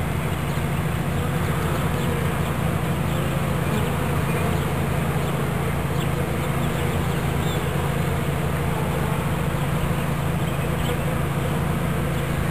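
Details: A swarm of bees buzzes as it is taken into a new hive body in Watkinsville, Georgia, giving an unbroken droning hum of many wings at even loudness throughout.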